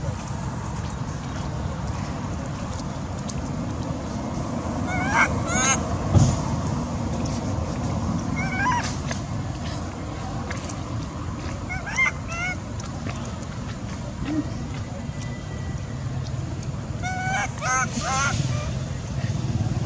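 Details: Baby monkey Sweet Pea, a young male angry at his mother, gives short bursts of wavering, harmonic whimpering cries, spaced several seconds apart, over a steady low rumble of background noise.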